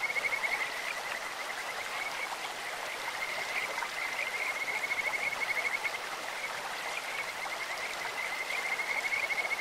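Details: Kajika frogs in a stream give high, thin, rapidly pulsed trills, strongest near the start and again at the end, set against a continuous hiss of running water.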